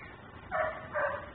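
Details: Neighbour's dog left outside in its yard, Mecklenburg, captured by a home camera as a nuisance barker: two short, hoarse barks about half a second apart over a steady low background hiss.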